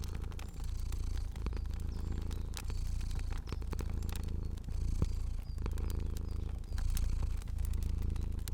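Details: Sleeping fluffy domestic cat purring in a cozy indoor ambience: a steady low rumbling purr that swells and fades with each breath, overlaid by sharp crackles and pops from a fire.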